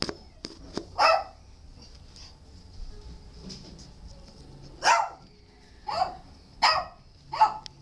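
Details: Shelter dog barking indoors: one sharp bark near the start, then four short barks spaced about a second apart toward the end, with quiet room noise between them.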